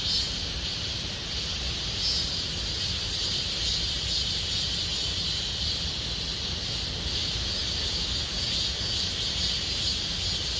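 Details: A steady, high, shimmering buzz of cicadas sings without pause in Gomsol Nuri Forest, Sihwa district, South Korea, in deepening summer.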